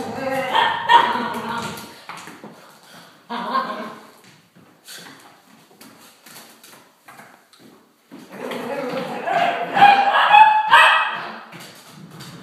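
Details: A three-year-old female Italian Greyhound, facing her first Halloween pumpkin, gives short, sharp barks and squeaky yips in two bursts separated by a quieter pause, with a person talking over and between.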